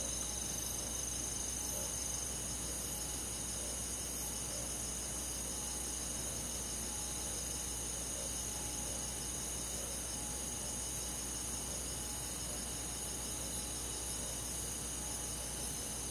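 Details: Crickets and other insects calling on a summer night in rural countryside forest; a dense, steady high-pitched chorus with pulsed chirps about four per second, layered over a low constant hum.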